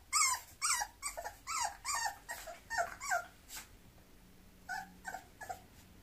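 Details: A mixed-breed Bulloxer dog lets out a rapid, uneven series of short, high yelping whimpers, several per second. They fade to softer, sparser whines near the end.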